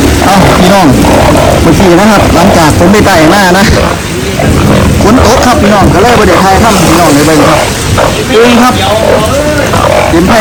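Banded bullfrogs calling in a dense chorus of low, moaning, bleating notes that overlap without pause; a man's voice is faintly heard.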